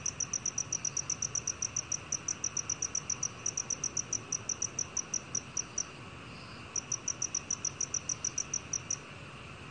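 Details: Black cricket (National Institute of Biological Resources, 2020) pulsing high, rapid chirps, pausing for nearly a second partway through, then continuing in steady bursts over a quiet hiss.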